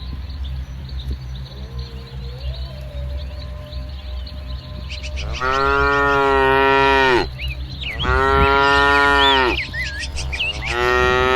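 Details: Several moos from a herd of tame cattle grazing in a muddy green rice field in the soft morning sun, their coats light brown to jet black: three long, deep, harmonic-rich lowing calls, each about one and a half to two seconds, over steady low rumble.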